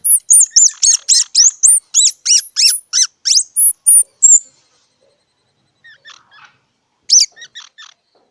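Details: Squirrel calling in a rapid run of loud, high, squeaky chirps, roughly three per second, for about four seconds. Softer scattered chirps and one sharp squeak follow after a pause.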